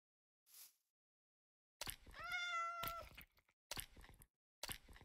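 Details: Persian cat on its delivery trip to Hanoi, Vietnam: a sustained, tonal meow lasting about a second, slightly rising then level, set among sharp clicks and crackling handling noise.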